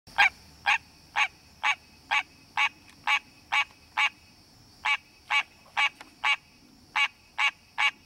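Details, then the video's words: Wild green tree frog calling in its natural habitat to attract a mate: loud, nasal, honking notes repeated about twice a second in a steady series, with a brief pause midway, over a constant high-pitched background hum. "Green Tree Frog Calling!"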